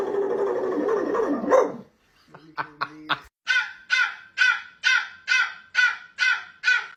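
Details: A dog making strange noises: a rustling, noisy opening and a few soft clicks, then about nine harsh, evenly spaced bark-like calls, each short and grating, repeated roughly every half second to the end.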